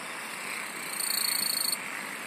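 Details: Insects singing in a relaxing nature recording: a short, pulsed, high-pitched trill swells for under a second with a faint higher overtone, above a steady hiss of background insect noise.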